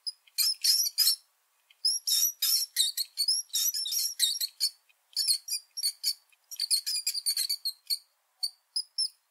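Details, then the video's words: Rat squeaking: clusters of sharp, high squeaks and short squeals, roughly forty bursts a minute, uneven in timing, with a quiet gap early on and sparser single squeaks near the end. "Squittii di ratto, rumori che fanno i ratti"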